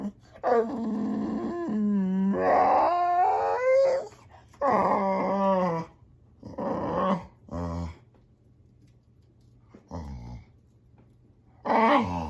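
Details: A male Boxer dog whines and grumbles in rising, wavering bursts, then several short, clipped yips and grunts with pauses, finishing on a sharp higher whine.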